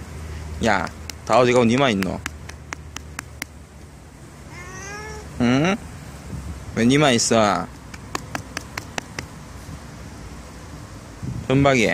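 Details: Stray cats living around a library, which come trotting over when called by name, meowing repeatedly: several drawn-out, wavering meows in short bursts across the clip, mixed with human voices and light tapping noises.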